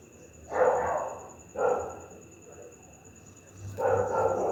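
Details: Pit bull barking angrily at night, three long, heavy barks with drawn-out harsh tails, a second or two apart, over a thin steady electrical whine.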